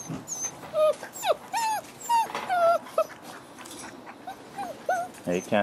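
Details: Week-six Frenchie x wolf puppies give clear, drawn-out whines that rise and fall, several pups crying in turn, with background chatter from people nearby.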